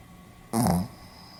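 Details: Sleeping Pomeranian giving one short raspy snore, barely a third of a second, low and buzzy against a quiet indoor background; recorded 4 November 2015 in Hiroshima.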